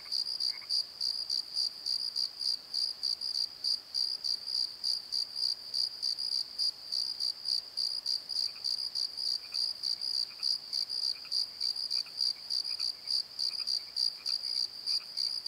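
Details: Night chorus of crickets in a valley bottom, recorded with a Nikon D7100: steady high-pitched trilled pulses in a fast, even rhythm, with faint scattered lower chirps from other insects.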